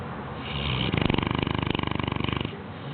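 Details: A 6-month-old Bloodhound pup snores with a rough, rattling, fluttering buzz drawn out on one long breath.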